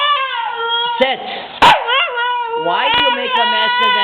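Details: Female Siberian Husky puppy crying after being called a crybaby by her owner: drawn-out whiny wails with rising and falling pitch and a wobbling tone, broken by a brief sharp click and a woman's voice.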